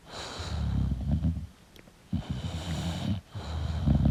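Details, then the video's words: English bulldog asleep, making short rattling snorts and wheezy snoring breaths in an uneven rhythm, with low rumble under a soft hiss. "English Bulldog Sleeping & Snoring Sound"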